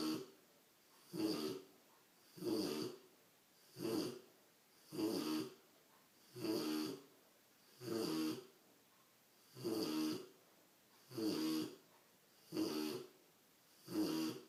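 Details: Mac, a big Rottweiler puppy, snoring in his sleep: loud rasping breaths repeated roughly every 1.3 seconds in a steady rhythm, each a broad throaty rumble with hissy upper tones, quiet between breaths, indoors.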